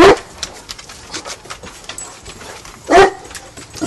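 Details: Dog named Hannah, an English mastiff or Basset hound, learning guard duties while urged on to see who is there; one short bark at the very start and another near three seconds, with faint background noise between.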